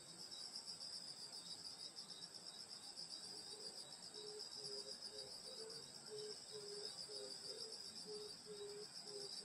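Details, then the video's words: Grass insects trilling on a summer night in the countryside near a grandmother's home, a constant high ringing chorus; halfway through, a low pulsed note begins repeating quickly underneath. "여름소리 풀벌레소리 시골밤소리"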